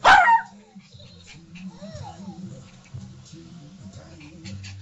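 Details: A Yorkshire Terrier puppy chasing its toy guinea pig opens with a single loud bark, followed by low television speech and faint music.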